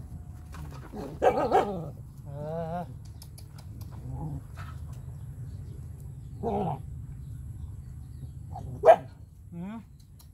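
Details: Puppies living with their owner, heard over a low rumbling background: a few short yelps, a wavering whine with rapid pitch wobbles, then a single sharp bark near the end.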